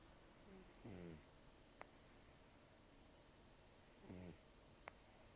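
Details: Old rescued cat Taro, protected in October 2024 and estimated at 10 to 14 years, asleep with very rough breathing: two snores about three seconds apart, each a low, rattling, stuttered rasp followed by a soft hiss.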